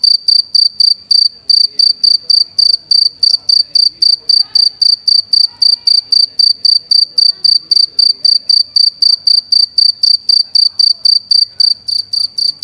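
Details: A cricket makes clear, high, pure chirps with its wings, repeated steadily about four times each second.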